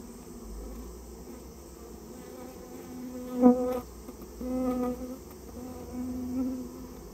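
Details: Buzzing Japanese honey bees during removal of a colony that nested in a storehouse: a low, even hum punctuated by three louder passes, one with a sharp onset, against a faint background drone.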